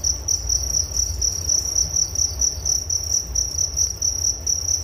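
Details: Crickets recorded for relaxation before sleep: a sharp, high trilling chirp repeated in quick regular bursts over a quiet background rumble.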